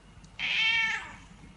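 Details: Pet cat from a funny cat compilation giving a single bright, drawn-out meow of about half a second, rich in harmonics and slightly falling at the end, over a faint low room hum.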